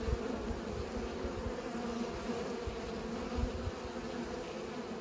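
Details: Bees pollinating, a steady droning buzz with a low humming tone that holds even throughout, over faint low rumbling.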